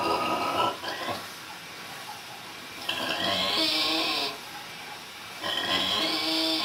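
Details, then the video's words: Vietnamese pig at a Buddhist nunnery near Hue, Vietnam, snoring: three raspy, wheezing breaths with whistling overtones, about every two and a half to three seconds, with quieter rests between. "Vietnamese snoring pig"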